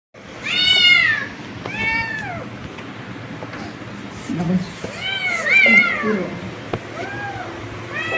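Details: Several kittens meowing with high, arched calls that rise and fall, in bursts around one and five to six seconds plus softer meows between, over a low steady background hum.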